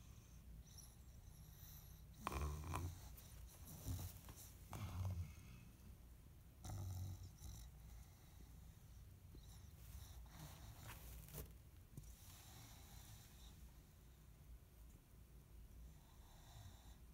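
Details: A female English bulldog snores through her toy in low, rumbling, irregular breaths.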